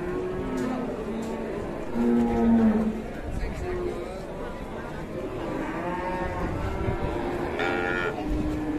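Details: A fierce cow, said to be risky to buy and shunned by dealers, lets out low, drawn-out lowing with stacked harmonics about two to three seconds in, then more moaning moos later over steady background noise.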